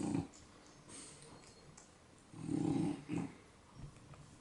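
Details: Two French Bulldogs fast asleep indoors, snoring: short rough rattling breaths, one longer snore then two quick ones, separated by quiet breathing in a small room.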